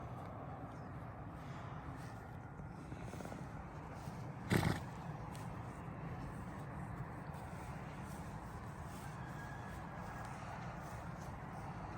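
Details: Steady low rumble of outdoor background noise, broken once by a brief dull knock. No clear animal voice stands out.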